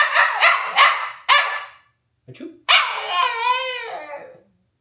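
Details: Alaskan Klee Kai, a small husky-type pet dog, reacting to its owner's sneezing: several sharp barks in a row, a short gap, then a drawn-out wavering yowl with rich harmonics, brief human voice in between.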